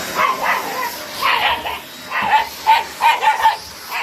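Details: White Shiba Inu dog at home deep in the mountains, barking at a vacuum cleaner: sharp repeated barks in uneven bursts, several quick yips clustered near the end, over a steady hum.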